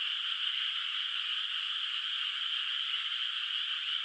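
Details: A steady night chorus of distant frogs over a moonlit, still-unplanted rice paddy in the countryside: a bright, seamless high-pitched din with no pauses and no other noises.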